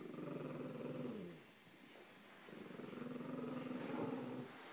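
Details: Puppy and a big dog in a playful tug of war, two long throaty growls separated by a brief pause, over a steady background hum.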